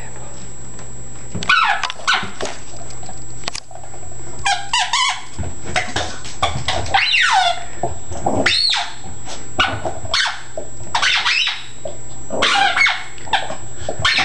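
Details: Yorkshire Terrier-Chihuahua mix going mad for a squeak ball indoors: bursts of high, sharp yips and short barks, often in quick pairs or trios, with brief pauses and a steady background hum.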